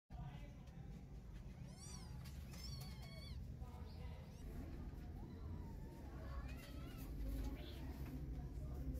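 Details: One-day-old newborn kittens, hungry and crawling in search of milk, give thin, high, arching mews in quick clusters near the second and third seconds and again near the seventh, over a steady low rumbling hum.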